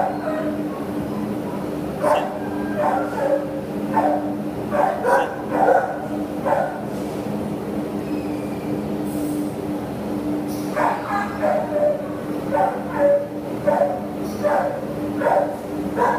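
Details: Repeated rough barking from a terrier listed for adoption on 27 September 2015, about one bark per second in bursts, a brief hissing clatter midway, low hum persisting throughout.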